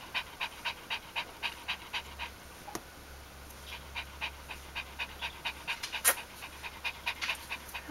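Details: Heavy rhythmic panting from Ari, a dog filmed across the end of pregnancy, the birth and the first four days of her G litter, 1–4 October 2012; even breathy puffs about three per second throughout, with one sharp click.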